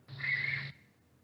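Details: A raccoon gives a single harsh, hissing screech lasting just over half a second, which can sound quite similar to a barn owl's call, over a low electrical hum; played in comparison with gray tree frog and barn owl calls.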